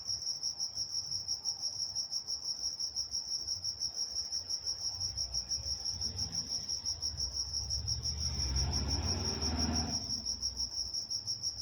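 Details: Crickets chirping at night in Walnut, California: a steady high-pitched pulsing trill with a fainter higher band, repeated about three times a second, while a low rumble swells briefly near the end.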